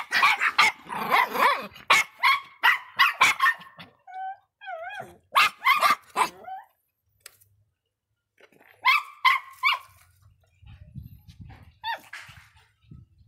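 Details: Faísca, a bad-tempered Miniature Pinscher, lets out rapid clusters of shrill barks, then wavy whining tones and more harsh barks. A silent pause follows before a final tight run of yaps and soft low rumble.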